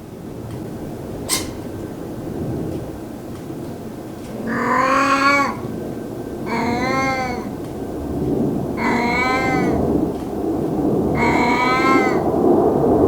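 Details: An old domestic cat that rarely vocalizes, meowing while sunbathing: four drawn-out harmonic meows at roughly two-second intervals, each arching slightly in pitch, over steady low outdoor rumble and a sharp click near the start.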